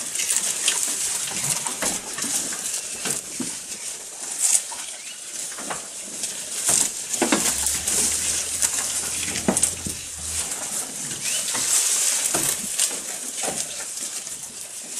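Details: A goat feeding at close range, with continuous rustling and crunching as it chews, scattered sharp clicks every second or so, and a soft low hum in the middle.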